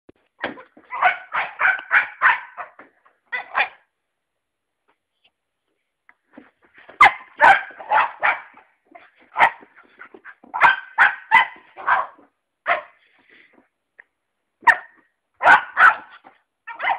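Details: Fudge, a five-month-old Cocker Spaniel puppy, gives bursts of short, sharp barks in quick runs of four to six, with pauses of a second or more between groups and a long gap near the middle.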